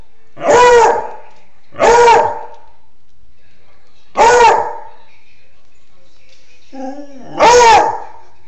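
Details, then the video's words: A Beagle at a front window gives four short, ringing baying howls ("baroo"), spaced a couple of seconds apart, at sirens and passers-by, scaring off a Foxhound standing beside it. "Beagle Dog Baroo at Front Window Howling at Sirens"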